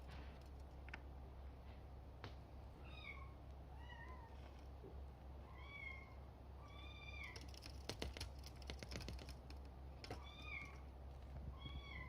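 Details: Bengal kitten, male, born June 21 and kept by a breeder, mewing about a dozen times in short high calls, some rising then falling, amid soft tapping and a steady low indoor hum.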